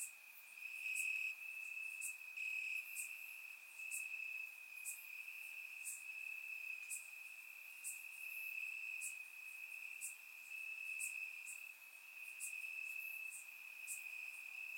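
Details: Warm summer night in Bulgaria with crickets chirping in the grass: a constant high trill beneath regular sharp ticks roughly every second, steady and dense throughout.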